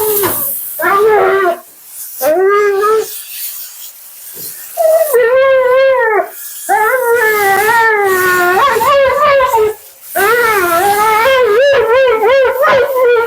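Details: Mila, a talkative female Siberian Husky, during her second-ever bath and grooming. She gives a run of drawn-out, wavering, howl-like yowls with rich harmonics, broken by short pauses, in a small indoor room.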